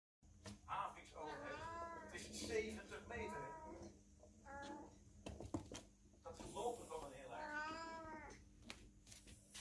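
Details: Kittens playing in their castle give a run of high, harmonic meows, some rising and falling, in several bursts across the stretch, with soft indoor rustling and brief clicks between calls.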